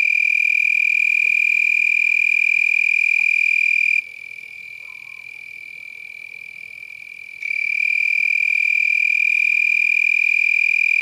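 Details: Several lacewings vibrate their wings at night, around 10 pm on 8 November 2021 in San Marcos, Texas, wings raised high above the abdomen. A steady, high, frog-like buzzing trill drops much quieter for about three seconds midway, then resumes loud.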